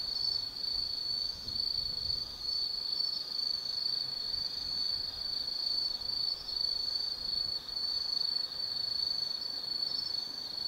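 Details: Steady high shrill trilling of autumn insects in the night forest at Tsukimi no Mori, Kaizu, Gifu, Japan, with slight rhythmic swells and little else audible.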